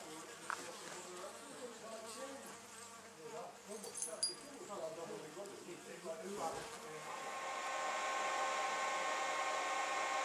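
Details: Honey bees from a wild colony housed in an old storage box at the Anson Engine Museum; a layered, wavering hive drone that swells in the final seconds into a louder, even buzz.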